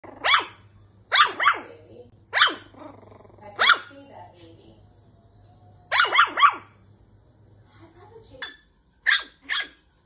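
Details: Toy Poodle playing with and pestering a cat indoors, letting out sharp high yappy barks, singly and in quick doubles and triples, at irregular gaps of about one second, with a faint low hum early on.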